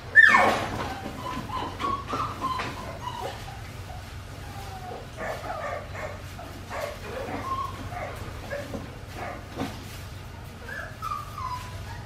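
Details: Winnie's Australian Shepherd puppies, four weeks and five days old, watched by a baby cam; a sharp yelp opens, then scattered soft whines and squeaks from the litter continue over a low background hum.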